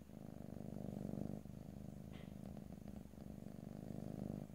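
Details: Close stereo recording of a domestic cat purring, no talking; deep even rumble in two long breath phases, one louder stretch then a softer one, with a small high click partway through.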